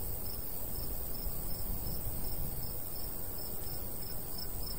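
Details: Crickets in a summer wheat field in the countryside, producing faint, regular high chirps about two per second, partly masked by a gusty low breeze.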